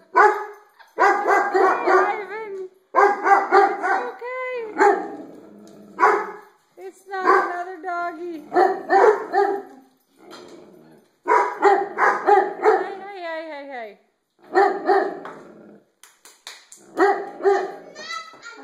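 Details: Dogs barking at their own reflections in the skylights: rapid clusters of sharp, harmonic barks in bursts of a second or two, separated by short pauses, with a few drawn-out, wavering whine-like notes between them.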